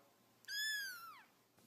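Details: A single high cat meow that starts level and bright, then slides downward at its end, with a faint click before it and a quiet background.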